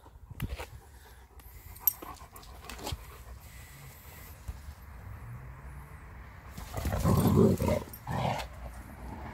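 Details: German Shepherd Major, male, meets another friendly male German Shepherd; soft snuffling and scattered thumps, then a loud, low, rumbling burst near the end, lasting about a second.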